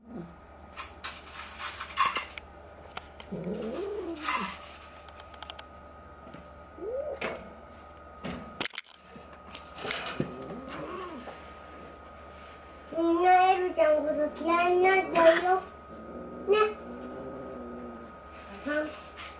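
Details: Indoor fight between resident tabby cat Elle, about five to six months old, and new black kitten Jill, about two months old, with Elle making an unfamiliar voice. Short wavering cries, then a burst of stacked, yowling calls, amid thumps and a steady hum.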